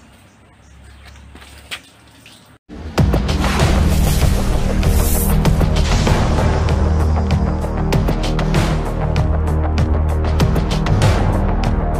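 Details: A quiet, rumbling start gives way after about three seconds to loud, bass-heavy music with a driving beat, and no animal voice is heard.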